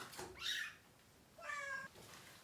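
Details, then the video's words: Kitten cries while a mother cat and three kittens receive deworming treatment in a small room; two strained meows, the first short and rising, the second longer and flat with clear harmonics, amid handling noise. "Too MANY Crying Baby Kittens!"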